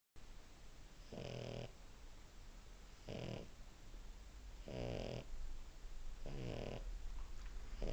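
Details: A French Bulldog asleep and dreaming, snoring indoors: broad, noisy rasping breaths in bursts about every one and a half seconds, low rumbling between them in a quiet small room.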